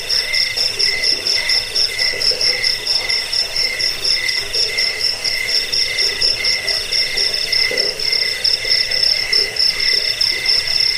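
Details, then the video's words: Cricket chirping offered as a rat repellent, sleep aid and tutor track for songbirds; dense, rapid high pulses run continuously in two bright tonal bands, an even unbroken chorus with no other sounds. "Suara jangkik pengusir tikus pengantar tidur"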